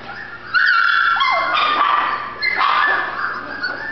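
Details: Female Golden Retriever puppy giving high-pitched whining yips: drawn-out tonal whimpers that bend up and down, starting after a brief quiet moment and returning in a second burst near the end.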